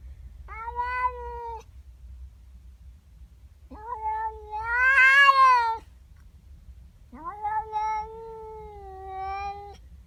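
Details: Domestic cat, female, in the morning, objecting to another cat in her garden: three drawn-out yowls, the middle one louder and strained, with pauses between.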